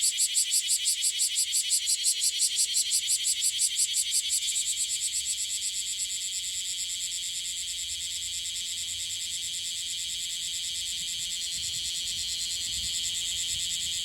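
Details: Newly emerged bear cicada in Okinawa, Japan, still dusted with gold and with wings not yet fully clear, singing unsteadily: a loud, high, rapid pulsed rasp, about three pulses per second for four seconds, then merging into a steady continuous buzz.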